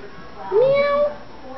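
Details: Week-old grey kitten from a stray's litter of five, born in April, gives a single clear meow that slides upward and holds steady for about half a second, in a quiet room.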